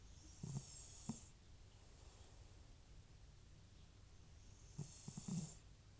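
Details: Snores from Butcher, an aged FIV-positive rescue cat with chronic sniffles, sound as two rough, fluttering snorts with airy hisses about four seconds apart while he sleeps indoors.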